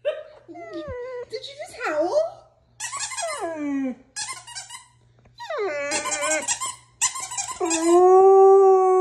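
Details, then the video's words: A female Old English Sheepdog makes cute sounds as a squeaky dog toy is squeezed, then gives her first-ever howl in response, in wavering, sliding tones. "Moggy the Doggy Learns to Howl"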